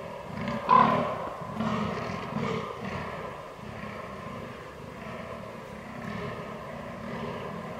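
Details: Rutting fallow deer on 22 October 2022, captured with a Canon R6: a louder opening grunt, then a run of low, throaty belches that grow softer and more muffled toward the end.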